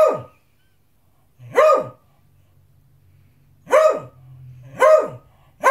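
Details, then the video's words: Beagle barking while demanding dinner: loud single barks, each a sharp rising-then-falling yelp with strong harmonics, spaced one to two seconds apart, with a low hum between them. "Beagle won't stop barking!"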